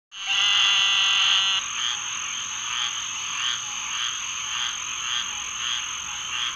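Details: A squirrel treefrog (Hyla squirrella) sings a loud, raspy, buzzing call over a background chorus of rasping Eastern Narrowmouth Toads and Green Treefrogs.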